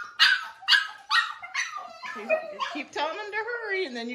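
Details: A 5-week-old foster Siberian Husky puppy, unhappy at being brought in for dinner and wanting to go back outside to play, gives sharp yips that turn into a high, wavering, falling howl.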